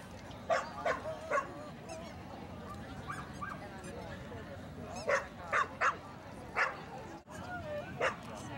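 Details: At a Colored Bull Terrier Best of Variety ring, dog show, March 2, 2013: short punchy barks come in bursts, three together early, then four more, with people talking continuously in the background.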